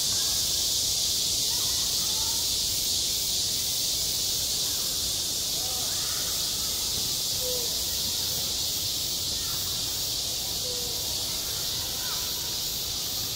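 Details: Cicadas shrill continuously through summer heat at a school playground, a flat high buzz without breaks, while a few short faint chirps and whistled notes come and go beneath it.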